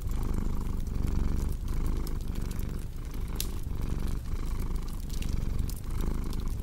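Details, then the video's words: A cat's low vibrating purr rolls on in even breath-paced waves, with a crackling fire beside it giving frequent sharp clicks and a few louder snaps. "Purring Cat with Cozy Crackling Fireplace Sound"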